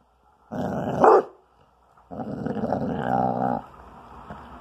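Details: Twelve-month-old spayed female Basset Hound growling while protecting her bone from teasing. A short snarling growl swells into a brief bark-like peak, then after a pause comes a steadier rumbling growl of about one and a half seconds.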